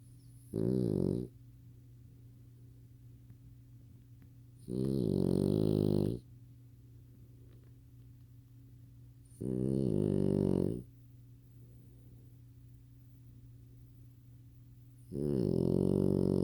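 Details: A lilac French Bulldog puppy, lying by its owner's ear during a movie, snores in deep, rattling breaths that come roughly every four to five seconds.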